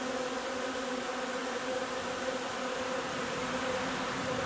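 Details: Honey bee hive foraging on linden nectar on 3 June: a dense, steady buzzing hum with a clear tone near 250 and 500, continuous and unbroken throughout, with no other sounds.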